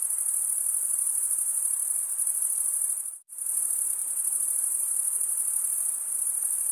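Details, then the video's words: Many crickets chirp through a summer forest night. Their thin, piercing trill runs continuously and pulses rapidly. It cuts to silence for a split second about halfway through, then resumes at full strength. "Pure cricket music for 20 min"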